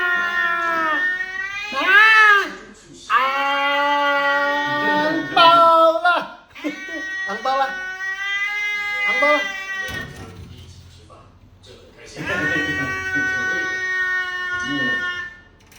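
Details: Angry domestic cat yowling indoors: a series of loud, drawn-out, wavering howls rising and falling in pitch, separated by short pauses and low growly sounds.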